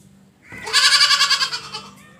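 A goat gives a single loud, nasal bleat with a rapid quavering tremble.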